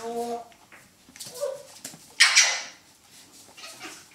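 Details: Poodle puppy from a B litter in a puppy run on 17 November 2014, playing with a small stuffed teddy. A brief harmonic whine opens, then a sharp loud yelp. Faint rustling follows.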